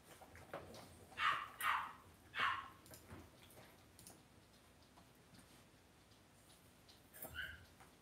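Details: Cavalier King Charles Spaniel puppies in an indoor home puppy pen give a quick run of three high, whining yips. A faint squeak follows near the end, then quiet room noise.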